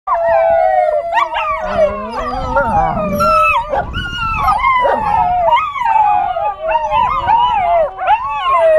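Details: Several eight-week-old American Tundra Shepherd puppies howl along to sirens played on a cell phone: overlapping wavering, sliding howls around the middle range, rising and falling continuously, with a higher siren-like tone weaving through.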